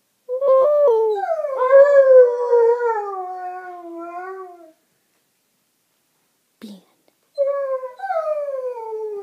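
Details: Two Alaskan Malamutes howling together: a long, loud, harmonic howl held for about four seconds, sliding slowly downward in pitch with a slight waver, then a pause and a second falling howl starting near the end.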